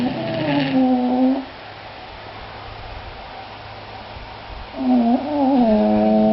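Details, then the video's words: Sleeping English Bulldogs Sammy and Harley: a droning nasal snore slides gently downward. After a quiet stretch comes another snore that wobbles up and down, then settles into a level, whiny hum. "English Bulldogs snoring"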